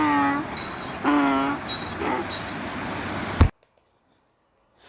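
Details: A donkey brays: a few see-sawing low harmonic tones and higher wheezing notes, fading out before a sharp click and then near silence.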